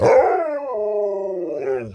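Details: Sherpa, a talking Alaskan Malamute, waiting for a treat before tea, gives one sustained, harmonic howl-like moan that starts high, drops in pitch, then holds steady before a brief rise and fall at the end.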